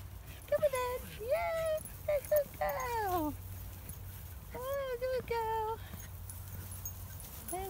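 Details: Jack Russell Terrier in a moving car makes a series of high, sliding whimpers and squeaky whines, some falling sharply in pitch, bunched in short bursts, with a woman's voice and a low engine drone underneath.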